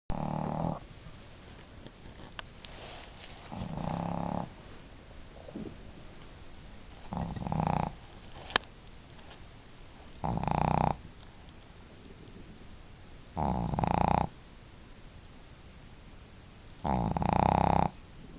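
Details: Two pet dogs, Marimo (female) and Daigoro, snoring together at home; loud rasping snore bursts about every three seconds, alternating with quiet breathing pauses.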